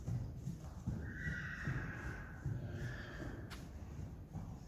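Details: Friesian horse neighing: a sustained, fairly steady tonal cry lasting about two seconds, with faint higher overtones and a slight fall at the end, over low thudding hoofbeats and movement.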